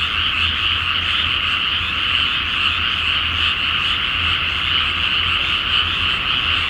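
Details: Night chorus of many frogs in a flooded paddy awaiting rice planting, full moon overhead, Japan; a continuous wall of overlapping croaking trills, unbroken and level throughout, with a soft low rumble underneath.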